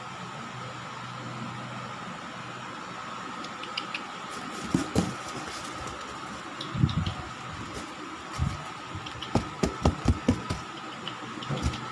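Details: A steady mechanical hum with scattered clicks and handling knocks, and no animal voice. Broadband taps and low thumps come and go over a constant tonal drone.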